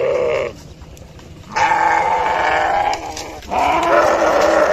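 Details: Sheep (Ovis aries), bleat.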